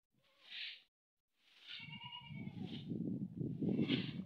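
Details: A goat in a village gives a wavering, nasal bleat among short breathy bursts, over a low rumbling background.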